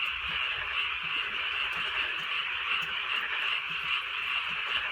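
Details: Frogs calling at night in the rainy Korean countryside during light drizzle; a dense continuous chorus of overlapping croaks, many callers blending into a steady high buzzing wall with faint rapid pulses, rain hiss underneath.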